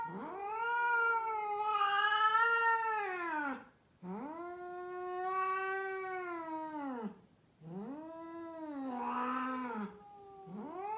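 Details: A rescued female cat in Mumbai, India, caterwauls in a run of three long, wavering wails of three to four seconds. Each one swells and then falls, with rough, rasping peaks in the loudest parts.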